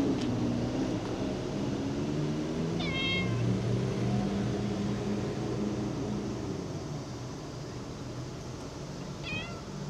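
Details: Cat meowing in early August 2024, two short rising-falling meows about six seconds apart over a steady low engine-like rumble.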